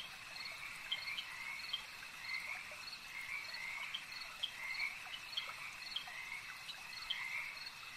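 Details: Frogs at a lake croak together in an unbroken pulsing chorus, short notes repeated several times a second over a persistent high drone, with louder croaks scattered through.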